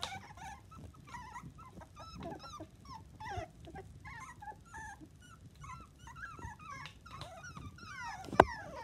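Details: Seven young miniature dachshund puppies, second litter of Coco and Chanel, squeak and whine continuously in short wavering bursts, several voices at once, with a sharp knock near the end.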